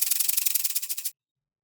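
A rattlesnake shakes its tail in a dry, high, hissing buzz made of quick, even pulses. The rattle lasts just over a second and then cuts off into silence.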